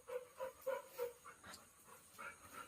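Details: Pet Labrador Retriever named Golden whimpering softly: four short, tonal whines about a quarter second apart, then fainter breathy whines toward the end, with no other clear sounds.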